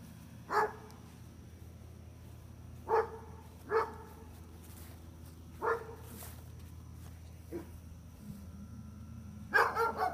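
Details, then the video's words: Gunner the dog gives spaced single barks at irregular intervals, a softer yelp-like sound near the end, then a final burst of close barks, with a low background hum. "Gunner the Barking Dog"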